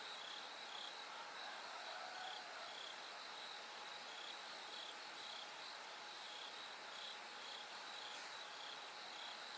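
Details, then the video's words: Bell cricket at night, darkness slowly giving way to dawn. Bright, ringing pulses come in short broken runs over a constant wash of insect chorus, with a thin steady hum beneath. "bell cricket Cry of falling insects"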